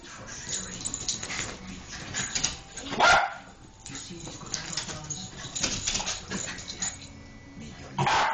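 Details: Jack Russell Terrier kept as a pet, chasing a laser pointer up a wall indoors. A couple of sharp, loud barks or yips stand out near the middle and at the end, with people talking in the background throughout.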